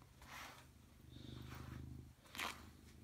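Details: Robbie Coltrane, a pet cat, purring in 2018: low steady rumbling purr with soft rhythmic pulses, a short breathy puff near the end, quiet indoor background.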